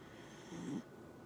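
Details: Single brief snore from a Dachshund, a low rough rasp with airy hiss, ending abruptly, soft room hum around it.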